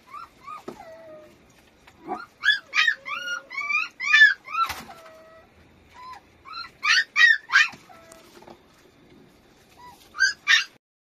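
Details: Dapple puppy indoors giving rapid, high whining whimpers and yips, several short rising-falling cries in quick bursts, with pauses between groups.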